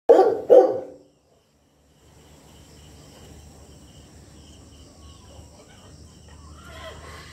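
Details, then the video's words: Very old Saint Bernard dog barking: two loud, deep, rough barks in quick succession at the start, followed by several seconds of quiet room hum with faint rustling. "Very Old Saint Bernard Dog"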